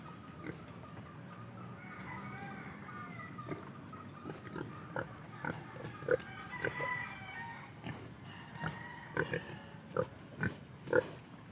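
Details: Pig grunting in short, rough bursts. The grunts are sparse at first, then come about every half second toward the end. Roosters crow and chickens cluck faintly in the background, and a person talks now and then.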